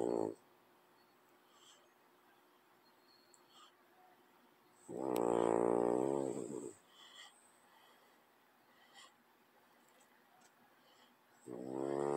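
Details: A French bulldog sleeps beside a cat, snoring in slow, regular bursts: three coarse, buzzy snores separated by quiet gaps of several seconds, in a calm indoor room.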